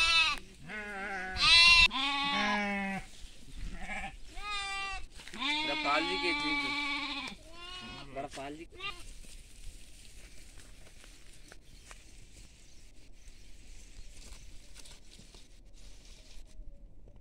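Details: Sheep with lambs in farm fields: a burst of overlapping, trembling bleats over the first nine seconds, then quiet background.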